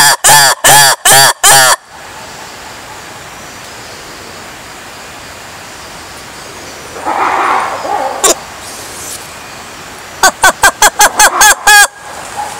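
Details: Lemur giving loud, harmonic honking calls: four evenly spaced blasts open, then a quiet stretch of soft hiss with a faint muffled burst, and a rapid run of about seven sharp, rhythmic calls near the end.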